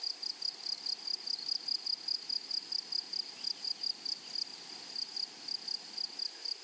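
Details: Grasshoppers of a flowery meadow give crisp, high, buzzy chirps in short repeated groups, about three a second, evenly spaced over a quiet, hissing background.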